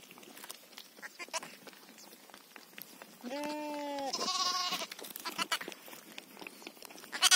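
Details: Sheep on a farm where a ewe has just given birth to a lamb: two bleats mid-recording, the first steady and held about a second, the second shorter and higher, among clicks and rustling handling noises.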